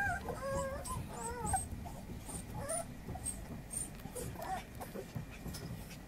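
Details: Female puppy, 30 days old, giving a few thin wavering whines and squeaks early on, then quieter scattered whimpers over a low rumbling background.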